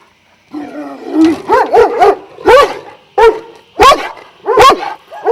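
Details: Šarplaninac dogs, Vujanski line, from a twelve-dog kennel at Jasika near Kruševac: a low whine opens, then rapid deep barks come in an uneven series, some doubled, with other dogs behind.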